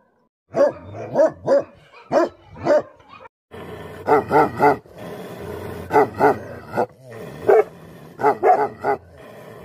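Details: Angry Bhote Kukur, or Tibetan Mastiff, barking in two bouts: a quick run of four barks, a short silence, then a longer series of deep barks, some paired, over a steady low rumble.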